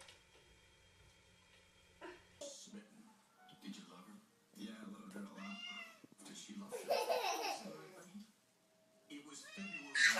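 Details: Pet cat meowing indoors in a funny compilation: several short, bending meows come through amid overlapping human voices and faint background music.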